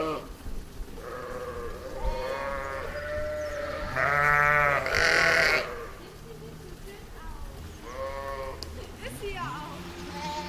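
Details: Sheep, a ewe and lamb in a meadow, bleating in repeated wavering, harmonic-rich calls, one louder drawn-out bleat near the middle and higher short bleats from the lamb, with faint background hum.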